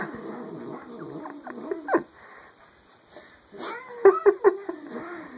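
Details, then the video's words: Rogue the pet cat making funny noises indoors: low muttering grumbles with short sliding yelps, then three quick clipped yowls near the end. "Rogue the hellcat making funny noises"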